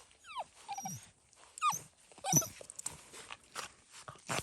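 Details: Seven-week-old fox red Labrador Retriever puppies on their first time outside give short, falling whines and squeaks in uneven bursts, with broadband rustling and clatter between them.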